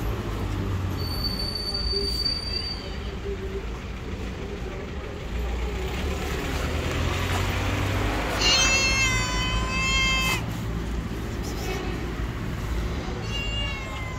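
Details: Tabby street cat living outdoors gives a long drawn-out meow, rich in harmonics, that bends slightly before fading, followed later by a brief second meow, over a steady rumble of passing traffic and engines.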